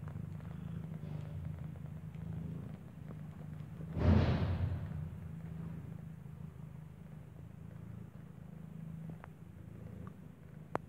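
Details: Mother cat nursing a kitten whose eyes are still closed, born inside a building; continuous low, even purring with a brief louder rustle midway and light background hiss.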